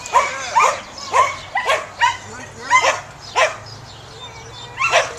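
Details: Samoyed dog during herding, producing sporadic arched yips and short barks, several in the first three seconds, a gap, then one last yelp, with a faint steady hum underneath.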